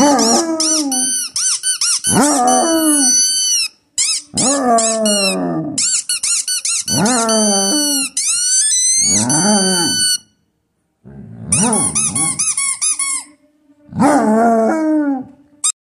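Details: Basset Hound baying in a long series of rising-then-falling howled notes, about two dozen a minute, with short pauses between bursts. The sound is indoors and some music is present.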